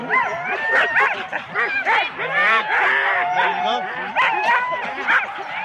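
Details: Many Huskies in four-dog sled teams bark and yelp excitedly at the start, Rendlesham, January 2016, recorded on analogue cassette tape; dense overlapping high yips and rising-falling whines with no pause.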